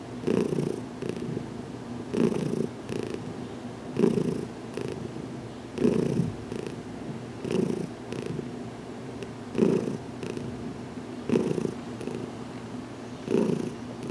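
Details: Purring from Heidi, a domestic cat recently adopted alongside Dinah, as her head is massaged in a small closet; rhythmic low buzzing that surges on each breath, about every two seconds, with no other sounds.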